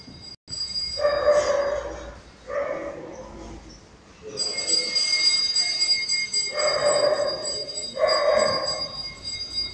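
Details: Poodle at a grooming session for a vest-and-trousers cut, giving four short, tonal, harmonic barks or yelps in pairs with a pause between, over a steady high-pitched mechanical whine in the room.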